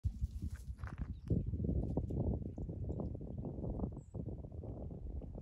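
A wild boar gives low, rough grunts in a steady, rumbling run of short pulses.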